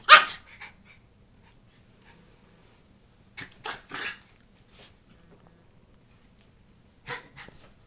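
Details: A male Schipperke gives sharp, broadband barks in short, irregular bursts at a buzzing "buzz monster" toy that is attacking him.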